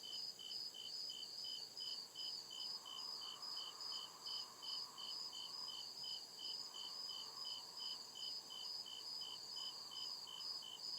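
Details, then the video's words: Night chorus of crickets deep in a forest, evenly spaced high chirps repeating in a steady rhythm, several callers overlapping on different pitches, while a faint lower drone rises and fades in the background. "CRICKET CHIRPING SOUND"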